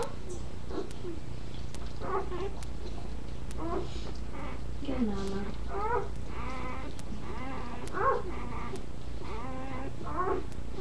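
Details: Newborn puppies being settled to nurse beside their mother give high, wavering squeals and short rising whines in quick bursts, while a woman speaks soothingly close by over a low steady hum.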